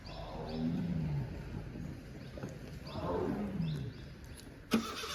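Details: In Pench Tiger Reserve near Turia gate in 2023, a tense adult female tiger searching for her missing second cub gives two low, falling moaning roars about two seconds apart, with a vehicle engine humming and one sharp knock.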